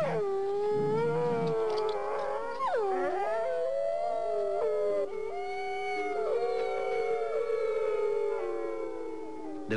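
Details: Gray wolves howl in long, sliding, overlapping tones, calling family members together; this relates to wolves returning to the Yellowstone area.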